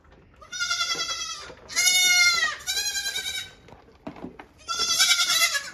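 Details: Several hungry goat kids call for their mother as she is milked on the stand in the morning. There are four strong nasal bleats, each under a second long and separated by short gaps, with a brief knock between the last two.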